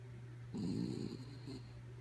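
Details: Sleeping dog Kaya Boo gives a short raspy snore lasting about half a second, followed by a softer faint breath near the end, over a constant low background hum.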